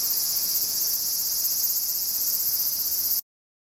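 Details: Summer cicada chorus in the outskirts of Tokyo, Japan, recorded in August 2011: a continuous, sizzling high buzz at even loudness for about three seconds before stopping suddenly into silence.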